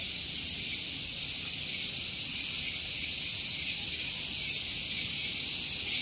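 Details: Cicadas singing in the morning on Gunung Geulis, Bogor, West Java, Indonesia, very loud: a continuous dense buzzing hiss held high, with faint pulsing swells across the whole stretch and no other clear sounds.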